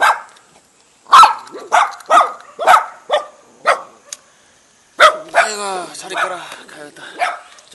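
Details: Jindo and Baduk dogs welcoming a visitor in a mountain-village front yard near Jeonju, South Korea: about seven spaced barks, then a man's voice talking over further barks.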